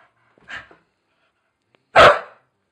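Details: A Staffordshire Bull Terrier playing on the stairs indoors gives a short, soft yelp, then after a quiet pause of about one and a half seconds a single loud, sharp bark.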